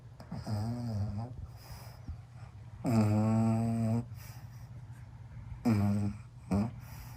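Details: Pug snoring like an old man while asleep: three loud, low, buzzy rumbles with a droning tone, each one to two seconds long, separated by quieter breathing pauses in a small room.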